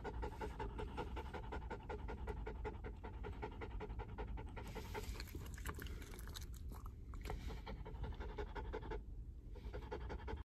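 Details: Mameshiba nervous in a moving car, sitting on the owner's lap. Fast, even panting continues throughout, briefly interrupted by rustling and shifting, against constant low car-engine drone.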